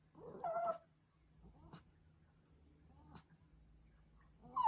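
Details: A Pomeranian puppy gives a brief, wavering, high-pitched howl, calling out because it misses its owner.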